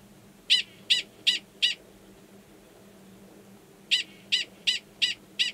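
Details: Male Gunnison's prairie dog giving a mating call near a burrow holding an estrous female, Valles Caldera National Preserve, New Mexico, March 2017; sharp high chirped barks, four in quick succession, a pause, then five more.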